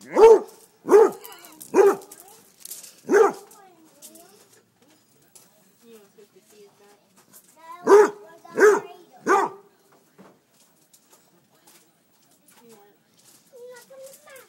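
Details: Basset hound barking at chicken thighs just taken off the grill, trying to cool them by barking: a quick run of four loud barks, a pause with faint whimpers and a voice, then three more barks.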